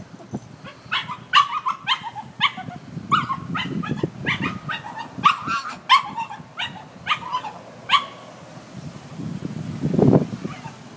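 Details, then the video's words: Worried little dog tied up and left outside, crying for its missing companions: dense, rhythmic series of high whines and yips, roughly two per second, fading near the end under low rumbling noise. "Worried dog sings a song of woe"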